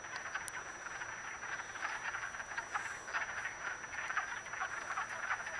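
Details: Mating wood frogs in a vernal pool in Acton, Massachusetts, recorded March 18, 2010, produce a thick, steady chorus of hoarse, duck-like clucks from numerous callers, swelling slightly in places.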